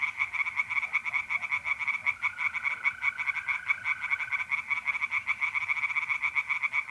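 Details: Pond tree frogs calling at night in mid-April, North-East Italy: quick harsh croaks stacked into a pulsing chorus, with a smooth mole cricket trill audible through the middle.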